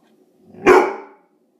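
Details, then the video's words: Single loud, sharp bark from an Irish Setter barking on guard indoors during teeth brushing, on 19 April 2016, when something bothered him with no noise outside. The bark is short and abrupt, with a quick fade. ""Guard Dog" Woofing"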